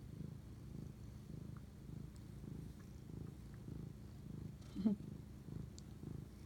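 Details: Pet cat bonding with its owner late at night, 11:07 pm, March 25, 2019, purring in a quiet low drone that pulses with each breath, interrupted near the end by a short louder squeak or vocal sound.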